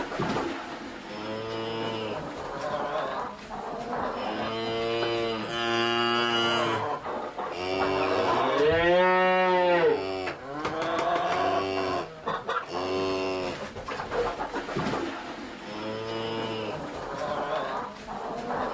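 Cattle in a herd give long, drawn-out moos, one after another and sometimes overlapping.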